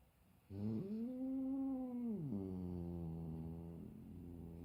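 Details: A big domestic cat, called grumpy, meets his little brother for the first time and voices a loud, low, drawn-out yowl that swells, bends down, then continues as a steady droning growl.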